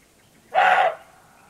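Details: Several roebucks (male roe deer) bark against one another before nightfall in the Rhodope Mountains, Bulgaria; this clip has a single hoarse, dog-like bark, short and harsh, against a quiet background.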